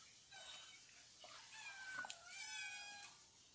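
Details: Domestic cat, noisy before being fed, indoors: drawn-out harmonic meows, one rising and falling near the middle, with faint clatter and a steady high hum behind.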